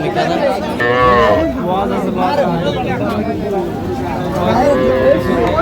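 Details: Cattle market in Jamalpur, Bangladesh, 19 August 2025, with farmers trading small bulls and heifer calves. One clear rising-and-falling moo near the start, then fainter bovine calls beneath loud haggling and chatter.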